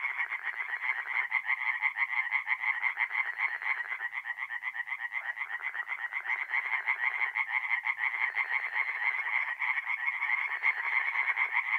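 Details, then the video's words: Night chorus of singing tree frogs at a forest pond, North-East Italy, mid-April: many overlapping rapid rasping croak trains forming a continuous pulsing wall of sound, with a few lower-pitched croaks coming and going. "relaxing forest pond by night with singing tree frogs"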